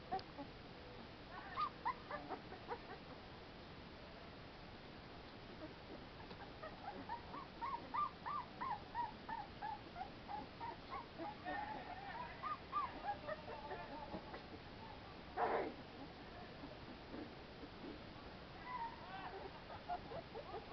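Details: Playful American Pit Bull Terrier pups outside in fresh air give a long series of quick, high yips and whimpers in a steady rhythm, with a louder squeal partway through and scattered whines near the end.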